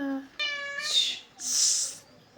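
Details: A cat gives a short, steady, richly harmonic meow, followed by two breathy hissing bursts, the second longer, with a brief voice-like tone at the very start.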